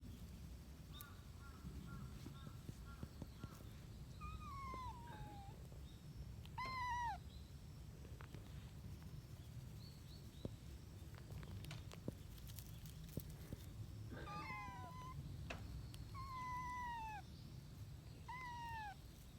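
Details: Lost kittens, a trio of strays, playing with people outdoors after rain: a series of short, falling, tonal meows, some paired, scattered through the clip over a steady low outdoor rumble.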